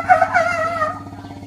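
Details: Elephants at Elephant Nature Park, Thailand, calling to one another at the sanctuary, recorded August 10, 2016: a short, wavering, trumpet-like call with strong harmonics that slide downward, over a steady low pulsing hum.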